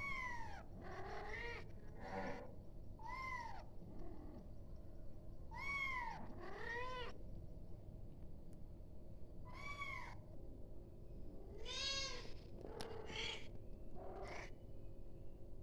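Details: A kitten cries repeatedly for its mother, a string of short, high, arching meows spaced one to two seconds apart, some doubled, against a constant low hum.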